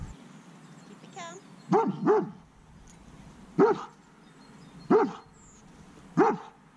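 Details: Anxious dog, reactive toward strange dogs out of fear, barks during counter-conditioning work. A brief whine is followed by five loud, gruff barks: a quick double bark, then single barks about every 1.3 seconds.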